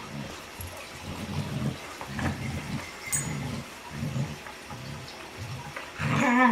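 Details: A normally silent female dog making a noise said to resemble her sister's: low rumbling pulses about twice per second, ending with a louder, higher, harmonic whine.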